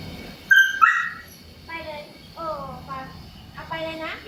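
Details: A female Siberian Husky, who started 'talking' at six months, gives two sharp yips and then drawn-out, wavering howl-like 'talking' sounds while her owner chats about going out.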